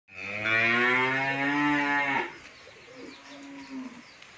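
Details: Original Friesian heifer, 16 months old, kept for sale on a dairy farm in Bhangura, Pabna, Bangladesh, gives one loud, steady, deep harmonic moo of about two seconds that ends abruptly, then a quieter low tail.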